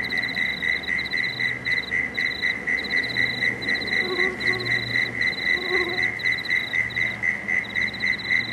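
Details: Frogs calling at dusk by the Cooks River in Marrickville, a steady run of short pulsed notes repeating about four times a second, with a second higher pulsing line above and a low droning hum beneath.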